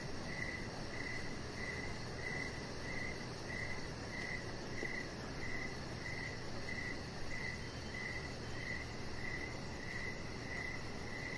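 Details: Outdoor evening chorus of crickets: clear, shrill chirps repeating in a regular beat about every half second, with a soft low-pitched drone running underneath throughout.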